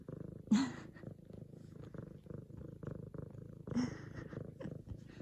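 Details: Female F2 Savannah cat kneading a pillow and purring loud in excitement at her owner's return home; continuous low rumbling purr, broken by two brief brighter bursts of human voice near the start and after three and a half seconds.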